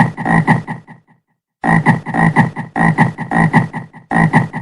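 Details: Frog croaking in pulsed, rasping bursts of about five rapid throbs each, a short silent gap after the first second, then steady low guttural croaks with no other sounds.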